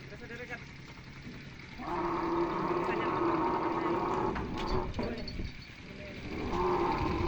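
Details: A camel lets out a loud, sustained moaning cry for about three seconds. After a short lull, a second droning groan begins near the end, over a rough, noisy background.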